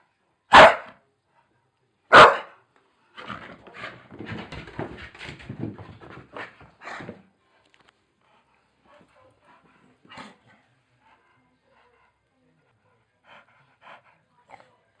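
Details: Indoors, a Staffordshire Bull Terrier playing on the stairs lets out two loud, sharp barks about one and a half seconds apart, followed by scuffling and thumping of play that fades to a few faint knocks.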